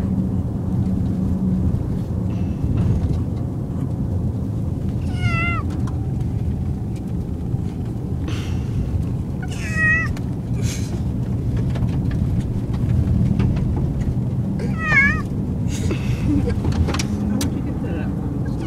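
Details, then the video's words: Car-sick male cat meowing during a car ride: three short, wavering, falling meows about five seconds apart over a steady low rumble of the moving car. "Cat meowing on car ride"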